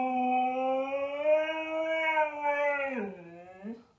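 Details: Zeus, a talkative Siberian Husky, indoors on a rainy day after getting a new outdoor bed, 'talks' in a long, smooth, sustained howl-like tone that holds steady, then drops and wavers at the end; faint room noise.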